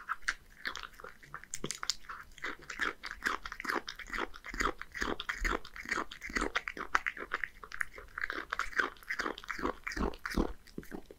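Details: A one-year-old male Scottish Fold named Hige munches horse mackerel with dry cat food at home in Japan, a dense run of rapid crisp crunches and chewing, almost continuous for the whole stretch in a small room.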